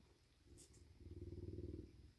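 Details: A male bobcat called Big, content after eating deer meat and getting a belly rub, gives a low, rapidly pulsing purr. It starts quietly and swells to a steady throaty rumble in the second half.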